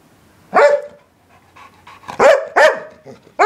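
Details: English Springer Spaniel letting out loud, sharp barks with a ringing tonal edge, one followed by a short pause, then two more in close succession and another starting at the very end.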